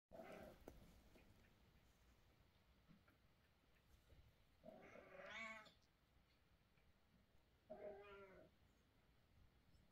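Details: Domestic mother cat in a bad mood, scolding and carrying her kittens; two drawn-out harmonic meows, about three seconds apart, after a short sound at the start, over a quiet indoor background.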